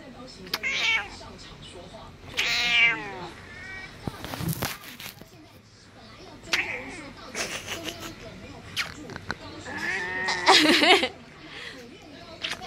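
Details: A 14-year-old house cat in Taoyuan, Taiwan, filmed February 19, meowing in complaint while her owner kisses and cuddles her; several loud harmonic meows, some rising then falling, mixed with a girl's speech and kissing sounds indoors.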